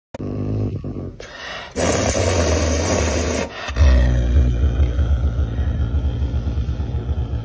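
A caracal gives deep, rumbling growls and moans, pulsing rapidly, asking to be let outside.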